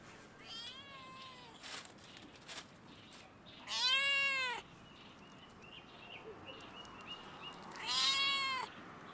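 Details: Stray domestic cat on a fence at a campus closed due to coronavirus, meowing at the person filming: three drawn-out, harmonic meows about four seconds apart. The first is fainter and falling, the later two loud and arched. Small birds chirp between them.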